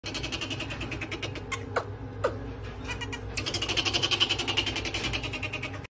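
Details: Pet common marmoset, furious after someone tried to help it, giving a fast, unbroken string of sharp, high chattering chirps several per second, growing louder and denser toward the end.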